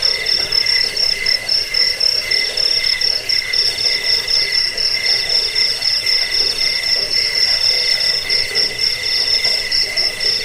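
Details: Cricket chirping, offered as a rat repellent, a sleep aid and a tutor for songbirds; dense, unbroken high chirps in two steady bands, one shrill and one lower, pulsing rapidly throughout with no other sounds.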